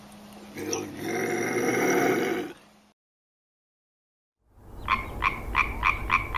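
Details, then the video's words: A European tree frog gives a fast run of loud, clacking croaks, about four a second, after a brief spoken-sounding passage and a pause. "Tree frog"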